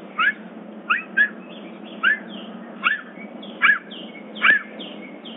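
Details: A bobcat at a big cat sanctuary in summer, in a dawn-chorus-style call, gives short, bright chirps, each arching up then down, repeated about once a second over a low hum.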